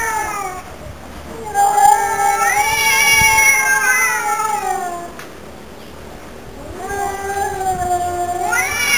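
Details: Two domestic cats named Mr. Brown and Mr. Black sing cat songs together. Loud, long caterwauls rise sharply, hold, then sag downward. After a quieter gap, another rising, drawn-out wail begins.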